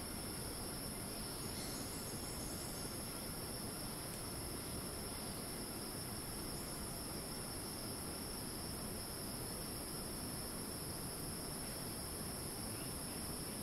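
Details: Screeching cicada chorus in Thai rainforest, Ton Pariwat wildlife sanctuary north of Phang-Nga: a constant piercing tone with a higher overtone band, even in loudness throughout, backed by low continuous ambient rumble.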